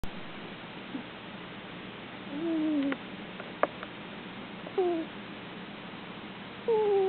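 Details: Sleeping pet cat dreaming and snoring, letting out soft puppy-like whimpers: three short, descending whines spaced a couple of seconds apart over an otherwise quiet room.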